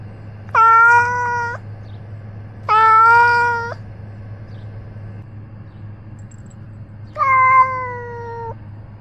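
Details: Ros the cat, carrying a body-mounted camera on his outings, utters three sustained, level meows, two close together and a softer third after a pause, with a steady background hum.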